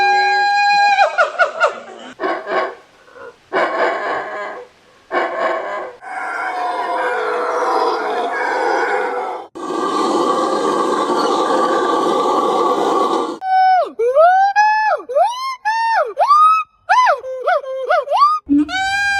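Monkeys give a series of harmonic calls, harsh noisy bursts, then quick looping whistled chirps.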